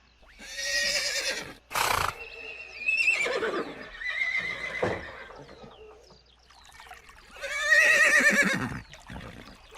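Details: Neighing horses in a herd: a shaky whinny opens, followed by softer, drawn-out calls and a loud quavering neigh near the end, with brief noisy bursts between.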